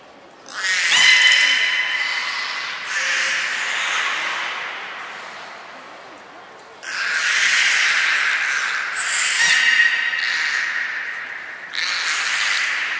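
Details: At Nagoya Port Aquarium on 1 November 2020, belugas Hodoi, Taanya and Mirai train while giving a string of buzzy, harmonic squeals and whistles. There are about five loud bursts, some rising sharply in pitch, and quieter stretches between them.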